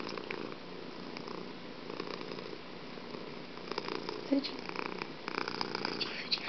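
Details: Steady indoor purr from Fuji the cat, a rough low rumble with rhythmic breath pulses and a faint voice briefly audible in the background.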